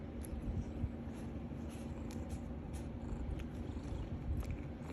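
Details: Domestic cat playing with a catnip stick, giving a steady low rumbling purr throughout, with faint soft rustling and light tapping noises above it.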